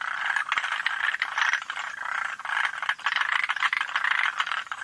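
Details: Forest green tree frog calling at Yoshitani in June 2025: dense, dry rattling chatter in overlapping bursts about a second long, nearly continuous, with sharp clicks scattered throughout.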